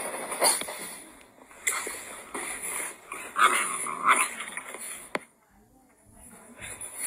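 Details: An English Bulldog, Rocky, gives short, rough barks and yips in irregular bursts while confronting a watering can, with a steady high hiss behind.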